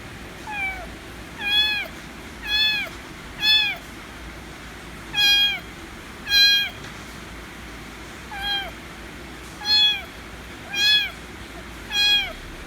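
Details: White kitten meowing loudly to demand affection; eleven harmonic meows, each sliding downward, about one per second, with steady low background hum.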